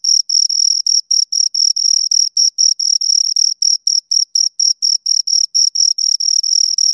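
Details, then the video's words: Two crickets chirping, stridulating by rubbing wings together: a steady, high-pitched pulsed chirp, short bursts repeated about four times a second in an unbroken rhythmic train, with a fainter higher overtone and no other sounds. "Two Crickets Chirp Sounds"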